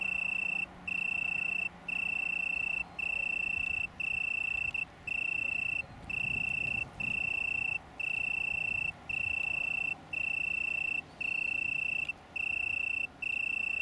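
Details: Italian tree crickets, a small colony near Brighton, UK, in September 2019: clean high trill in roughly one-second bursts with short gaps, steady throughout, over faint low-pitched background rumble.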